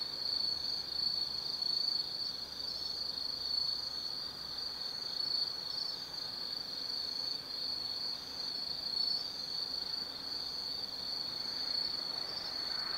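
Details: Forest insects of autumn singing after dark at Tsukimi no Mori in Gifu Prefecture, Japan, near a viewpoint above the Nobi Plain lights: continuous high, buzzy trilling from many callers layered together, with a soft wash of background noise.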